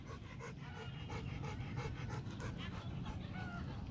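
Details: Two adult Rottweilers, a mother and daughter, running free and swimming by a lakeshore in Hanoi on a sunny spring day; steady rhythmic panting, several soft breaths per second, with a faint hum of wind.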